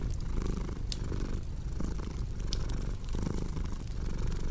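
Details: Cat purring steadily, a deep low rumble swelling and easing in breath cycles under a second apart, mixed with sharp crackles and pops from a cozy fireplace.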